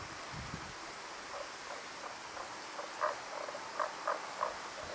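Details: Voice only of Tago's brown frog: a run of brief low croaking notes, irregular and clustered toward the end, over a constant background hiss.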